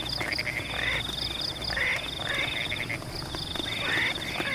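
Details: Frogs in rice fields during rain give quick, rasping, rising croaks, several in close succession, some doubled. A constant shrill insect drone and the steady patter of rain run underneath.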